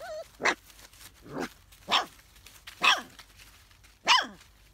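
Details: Briard barking: a brief high whine, then five sharp, hoarse barks about one second apart against a quiet background.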